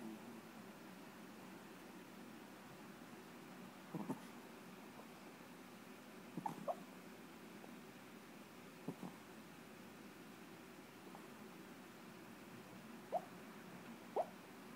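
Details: Chiquita, a pet Chihuahua, asleep and dreaming indoors, lets out brief, soft, rising squeaky whimpers at irregular intervals several seconds apart over a quiet, steady room hum.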